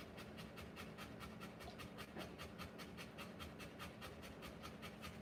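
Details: Rottweiler panting while giving birth to puppies: rapid, breathy, broadband pulses at a steady pace of roughly two and a half per second, continuing throughout, over a constant low hum indoors.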